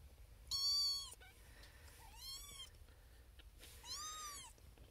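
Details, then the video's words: In a birthing box among six sleeping littermates, firstborn female kitten Xena Thumbalina, born April 1st, 2021, calls insistently for her owner: three bright meows about a second and a half apart, the middle one softer. "SMALLEST Kitten BIGGEST Meow"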